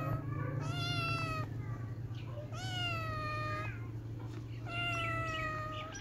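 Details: Kittens at play give three long, clear meows, each rising briefly then holding level before dropping, separated by short pauses, with a constant low hum underneath.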